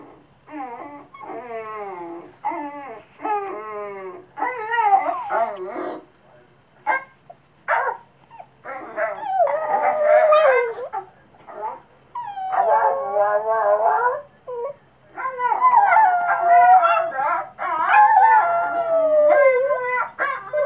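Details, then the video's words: Cavalier Spaniel crossed with Papillon making noises during its first sort-of howl: rapid choppy yips and short barks, then longer whiny, wavering whimpers in irregular bursts with brief silences. "howling and making noises at Funny Dog Noises Video (Cavalier Spaniel / Papillon mix)"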